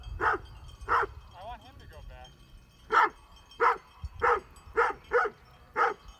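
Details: Great Pyrenees sheep dog guarding sheep near Heber, Utah, barking at mountain bikers: single loud barks spaced roughly half a second to a second apart, with a short bicycle-bell-like ringing between early barks and a man speaking nearby.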